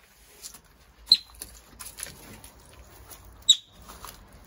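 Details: Yellow-bellied marmot at a wildlife recovery centre: two sharp, high chirps a couple of seconds apart, set against soft pattering and rustling sounds.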